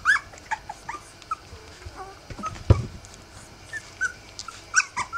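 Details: Rough Collie pups, three weeks old, give short high squeaky whimpers and yips in scattered bursts, with a loud thump midway and faint rustling between cries.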